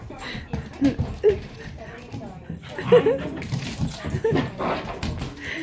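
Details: Hyper German Shepherd and a shepherd mix, indoors, giving short high whimpers and yips in bursts, mixed with a person talking and laughing.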